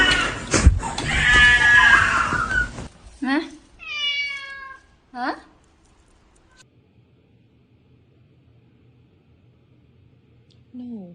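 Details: House cat giving short rising meows after a loud burst of human talk and noise, with a faint low hum underneath and one more brief meow at the very end.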